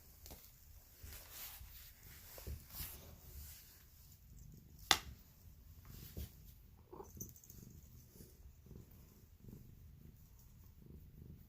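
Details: Female polydactyl pet cat indoors producing weird noises: a soft low purr runs throughout, broken by a sharp click near five seconds and a brief faint nasal vocal sound around seven seconds.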